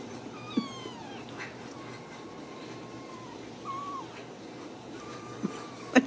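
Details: Ragdoll kittens raised in a home cattery in central Kansas give several thin, high mewing calls, each sliding downward with bright overtones. Soft knocks and handling noises are scattered through the quiet room.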